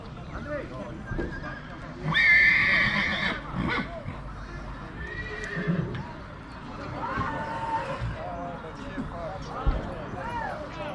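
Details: Two-year-old stallion in Dăneștii Chioarului, Maramureș, Romania, gives one loud, wavering, quavering whinny lasting just over a second early on, while people talk throughout and soft scuffing and clopping sounds run underneath.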